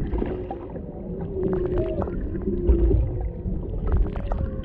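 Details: Mother and calf humpback whales beside a boat off Maui, Hawaii, a male in the background, heard through a GoPro Hero 7 Black camera microphone underwater. Steady tonal moans and a brief upward squeal sound over dense low water noise.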